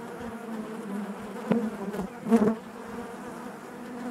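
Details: Steady low hum of many honey bees within a hive, layered harmonic drone with two sharper surges around one and a half and two and a half seconds, otherwise even and unbroken.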